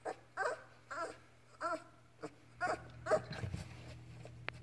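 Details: Labrador Retriever puppy Ripley playing with its mother Halia while learning to walk, indoors; a series of about seven short, harmonic whining yelps roughly every half second, followed by scuffling and a steady low hum.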